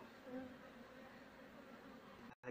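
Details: Honey bees during a colony move into a cultivation box, with the queen being caught so the colony follows; a steady low buzzing hum with faint overtones, with a brief dropout near the end and voices nearby.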